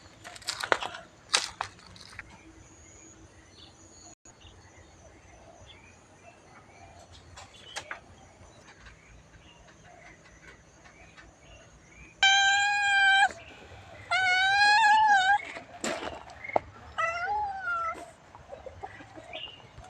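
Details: Cats at Wat Pong Chai temple, Chae Hom, Lampang, Thailand, with a new friend arriving to ask for food; after a quiet stretch with scattered clatter, loud drawn-out harmonic meows start about twelve seconds in, followed by a wavering run of several more.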